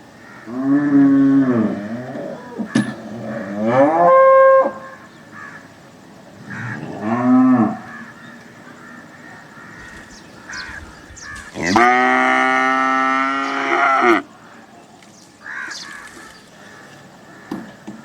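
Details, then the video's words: Cattle mooing repeatedly, short arched lows early on followed by a long, loud, flat-pitched bellow lasting over two seconds, with quieter pauses and scattered faint background noises between calls. "Cows mooing sound effect 2023 || Amazing animal cow moo noise"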